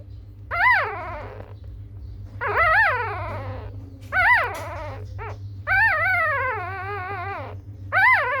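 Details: Little puppies whimpering in a series of high, wavering whines, each bending up and then sliding down, five bursts over about eight seconds with pauses between, over a steady low hum.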